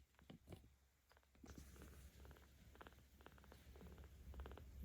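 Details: Ao, a 17-day-old kitten in the care of cat volunteers in Tama City, Tokyo, filmed on 10 October 2022, purring while being petted: quiet at first, then rapid pulsing rumbles in short bursts that grow louder.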